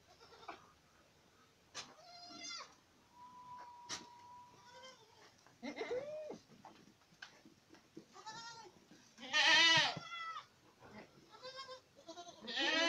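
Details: Boer goats at Acatlán de Osorio, Puebla, Mexico, bleating at intervals. The calls are shaky and nasal and vary in loudness, with the strongest near the middle. A steady whistle-like tone and faint clicks sound in the background.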